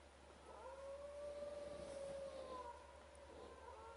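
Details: Wild dogs at a camp howl together, a long level tone swelling and sustained for about two seconds while fainter overlapping howls rise and fall around it, then taper off.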